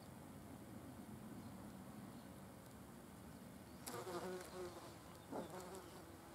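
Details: Wasps eating a carcass; a steady low hum of wings runs throughout, with a louder close buzzing pass near the fourth second mixed with sharp crackling contact sounds, then a shorter burst a second later.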